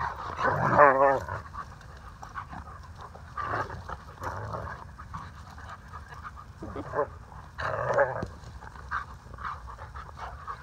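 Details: Two Alaskan Malamutes, Waldo, a male rescue dog with Moonsong Malamute Rescue, and Aspen, a playful female, at play on 13 August 2019. A short burst of harmonic, whining growls comes early, then scattered huffs and panting, with laughter from people.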